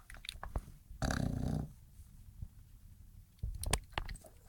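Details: An English Bulldog snoring while asleep and dreaming: a low, rough, rasping snort about one second in and a shorter snort near the end, with soft clicks and faint rustling in between.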